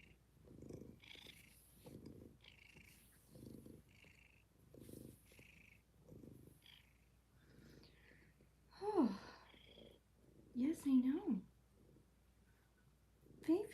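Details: A kitten purrs quietly in a cuddle room, a faint, pulsing rumble over the first eight seconds, then a woman's cooing voice breaks in, speaking twice to the animal.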